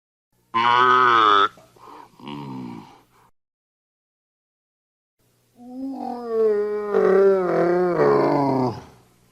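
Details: Cow mooing: a short harmonic low at the start, then two quieter broken grunts, a pause, and a longer wavering moo that rises and falls for about three seconds.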